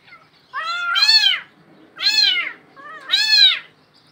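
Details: Cat down a well in Bangladesh calls with three strained, arching meows about a second apart, each opening with a short lower note before the loud main cry.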